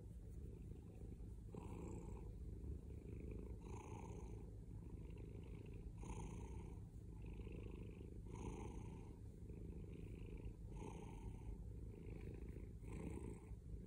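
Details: A male house cat purrs loudly and steadily, a deep vibrating drone broken into regular breath cycles about every two seconds, with no other sounds present.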